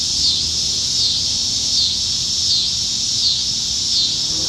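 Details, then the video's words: Nebraska cicadas in the trees on a summertime evening, July 2019: piercing continuous buzz with pulsing surges about every three-quarters of a second, quiet low background. "Summertime Evenings in Nebraska - Cicadas"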